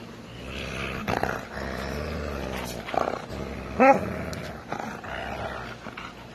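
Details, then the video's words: An angry dog growls in a steady low rumble that runs through the whole stretch, with a short sharper yelp-like burst near the middle and some background rustling. "angry dog"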